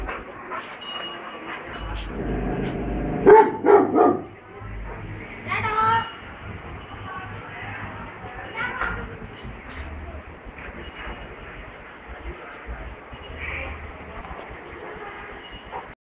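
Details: Angry Rottweiler attacking an elephant in a street: bursts of harsh, rough barks, loudest and densest in the first third, then scattered single barks, mixed with human voices and low street rumble.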